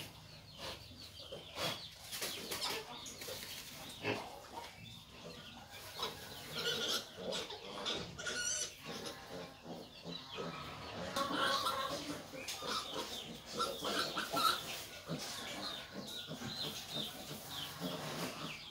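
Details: Hybrid wild boar nursing her piglets; dense run of short, rough grunts and squeals in irregular bursts throughout, with some higher chirping and clucking mixed in the background.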